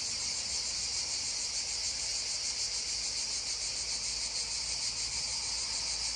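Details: Beside a babbling stream, cicadas keep up a loud, constant high-pitched drone with a faint pulsing texture, steady and unbroken from start to finish.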